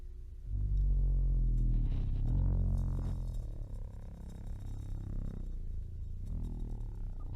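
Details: Mantis shrimp producing a deep, droning underwater rumble with stacked low tones that swells in the first two seconds and then slowly fades; played as a mystery sea-creature sound in a guessing game.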